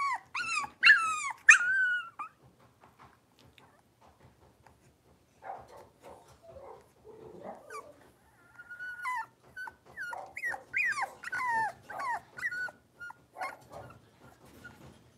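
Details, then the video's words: Blenheim Cavalier King Charles Spaniel puppies, five littermates, in an indoor pen: a few loud falling yelps open, then muffled scuffling and a run of wavering high whines and yips. "Cavalier Puppies Live: Potty Training, Wrestling, Barking, Learning their Names!"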